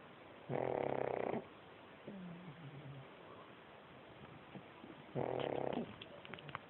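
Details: A sleeping pug snores in two loud, rasping, buzzy breaths about five seconds apart. Between them comes a softer, wheezy, whistling exhale, with faint clicks in a quiet room.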